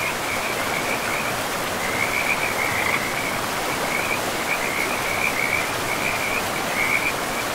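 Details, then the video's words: Forest-river frogs give a continuous high trill, rattling and steady in pitch, with slightly stronger bursts near the end, over a heavy wash of flowing river sound. "River and Frogs sleep sounds"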